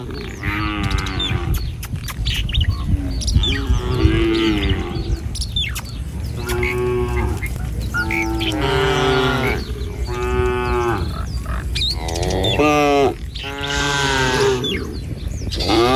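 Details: Tame village cattle moving as a herd along a country road in the morning toward a field to find food. Repeated overlapping moos from several animals, roughly one every second or two, with faint bird chirps and low rumbling.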